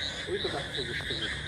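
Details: At a resort by a pool in Taki, with darkness falling on 15 July 2025, a frog calls loudly with short, repeated croaking notes, mixed with a person's voice nearby.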